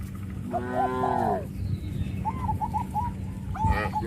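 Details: Village cattle in a herd calling their companions; one long, drawn-out harmonic moo, followed by a short run of higher repeated honk-like notes and a brief final call over a steady low background hum.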